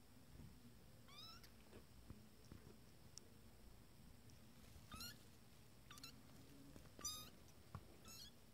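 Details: Twenty-day-old Abyssinian kittens from a first litter explore their playpen, giving sharp, high, rising meows in short bursts a second or so apart, with faint rustles and a low hum underneath.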